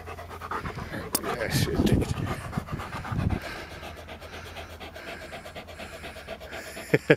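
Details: Sam the Labrador pants while playing with a red frisbee, filmed on a Panasonic Lumix TZ7 camera: rough breathy bursts grow loudest in the middle, mixed with a person talking to the dog and low background rumble.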